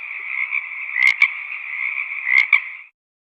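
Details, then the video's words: Wild frogs croaking in a valley: a continuous chorus with two sharp, louder croak bursts about a second apart, then the sound cuts off into silence. "Frog croaking sound of nature"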